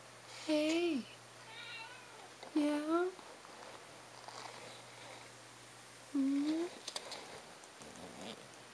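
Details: A cat named Da Kine indoors in a library, giving three short, bent meows, each rising then falling, about two seconds apart, with a longer pause before the last. Faint chirps and a low steady hum run underneath.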